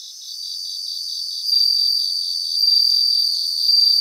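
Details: High, bell-like ringing song of bell crickets singing together on a Japanese grassland; the pulsed background chorus gives way to louder sustained trills that swell and repeat in short surges.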